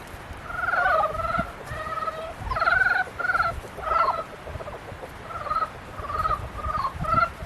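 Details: A mating-season frog chorus: overlapping rapid, buzzy croaks in short pulsed bursts, neighbours answering one another almost continuously.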